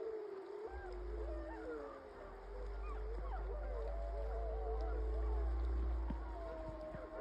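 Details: Chorus howling by a 15-member wild gray wolf pack in Yellowstone the morning after a buffalo kill; several sliding, wavering howls overlap over a steady low rumble, likely wind or handling noise.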